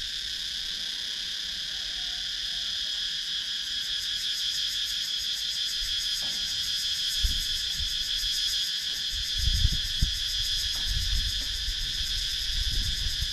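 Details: Cicadas calling in wooded countryside of Sakon Nakhon, Thailand, recorded on a GoPro Hero 9: a dense, steady high-pitched shrill with fine rapid pulsing, plus a few low thuds and rustles midway.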